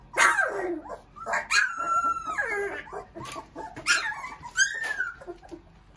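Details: Three-week-old puppies give high, wavering whines and yelps, several sliding down in pitch and one long drawn-out whimper. Calls come in short clusters separated by brief quiet gaps, with a soft background hum.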